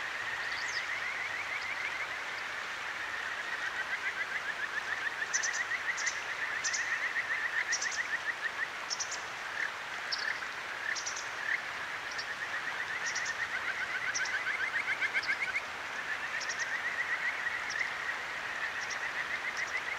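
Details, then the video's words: Night recording from the Akigawa Valley stream in Tokyo on a ZOOM H6: a Kajika frog gives repeated runs of quick rising whistled notes over constant water noise, with higher short chirps from other callers scattered throughout. "清流の歌姫 カジカガエルと川のせせらぎ"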